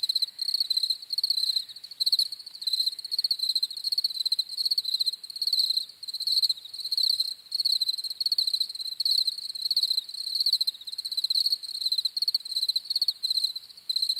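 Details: Crickets chirping steadily: high, pulsed trills in short bursts repeated several times a second, overlapping callers forming a continuous shimmering chorus with no other sounds.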